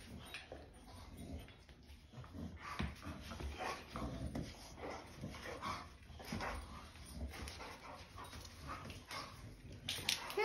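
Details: White Boxer dog fussing over his new bone-shaped ID tag indoors, giving repeated soft whimpers and breathy panting in uneven bursts, with rustling and handling noises throughout.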